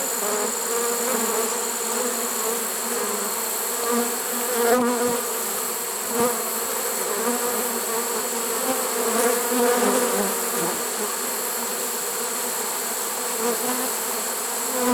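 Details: Unbroken, even hum of a honey bee swarm caught in a swarm trap in early September 2019, late in the season; many bees droning together with no other sounds.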